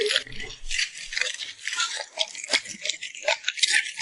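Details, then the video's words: A puppy fed by its owner, who saves the beef for last, smacks its lips while eating. Dense wet clicks and crunchy crackles come in quick uneven bursts, with a few soft low thumps near the start. "Immerse yourself in the sound of a cute puppy smacking its lips"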